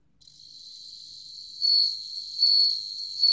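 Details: A bell cricket (Meloimorpha japonica) sings a high, clear ringing trill that swells louder in pulses; recorded in 2020.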